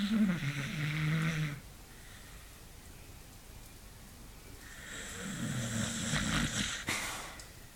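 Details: Sleeping beagle Hunter snores loud and long indoors, a rasping, wheezy snore of over a second, a quiet pause, then another drawn-out rattling snore, ending with a faint click.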